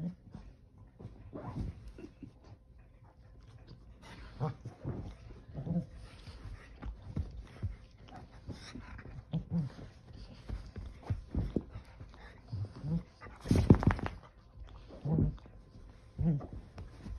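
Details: Keeshond dog tossing and turning on a couch while getting comfortable, making strange noises: scattered low grunts, snorts and short whimpers in irregular bursts, with rustling from the body shifting against the cushions.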